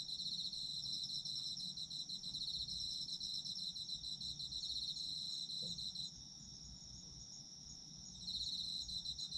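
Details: Autumn insect chorus, a dense high pulsing trill in two pitch bands. It quiets noticeably for about two seconds near the end before the full trilling returns, with a faint low hum throughout.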